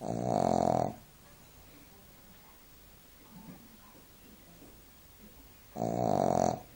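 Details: Napping Shih Tzu named Duke snoring in a small room: a buzzy, rattling inhale at the start and another about five seconds later, near silence in between.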